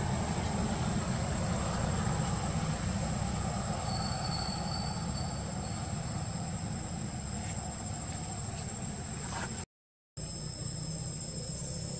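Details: Continuous broadband rumbling like a passing train fills the recording, with a thin high whine and a short dropout to silence, but no animal voice.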